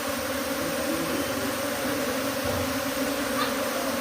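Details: Honey bee swarm moving from its hive to a tree: a dense, steady drone with a low hum and a brighter overtone band, unbroken throughout, no other clear sounds.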